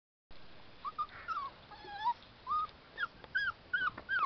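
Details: Puppies at play, eager for people's attention, give thin, high whimpers: short arched whines that rise and fall, about ten of them, coming roughly every half second, with faint soft knocks between.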